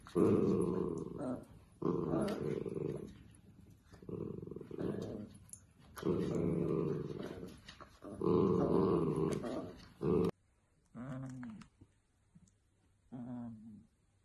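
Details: Dachshund indoors, growling in rough, low, drawn-out bursts about two seconds long, repeated with short pauses for ten seconds, then giving way to a few softer, tonal whine-like sounds in a quiet room.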